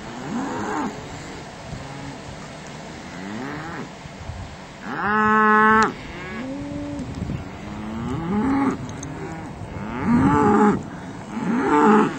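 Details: Cattle herd pausing for lunch while being moved to spring pasture: many arching, low moos from several cows overlap and follow one another, some louder and brassier, others distant, in steady outdoor background noise.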